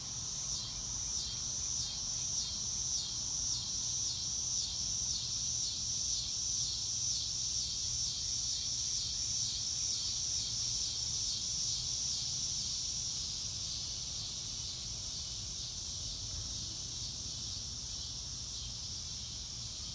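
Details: Cricket chorus in open nature, with bright, rapid pulsed chirps at a steady rhythm of roughly two per second for the first thirteen seconds. The chirps then fade, leaving quiet, hissy background noise.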